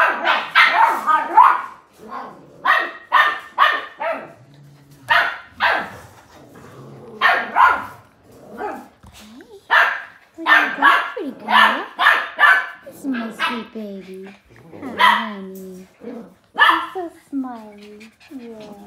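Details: Blue heeler puppies playing and romping, a litter of Australian Cattle Dogs: rapid high yaps and barks packed close, then drawn-out whiny yelps that waver up and down toward the end.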